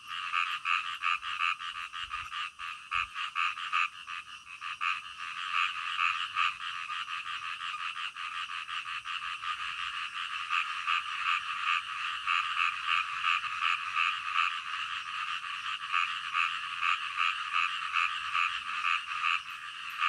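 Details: Nocturnal frogs croaking in a thick, continuous chorus; many callers overlap into a steady pulsing buzz, with a couple of faint low knocks early on.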